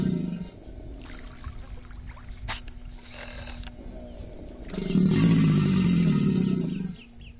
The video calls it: American Alligator - sound effect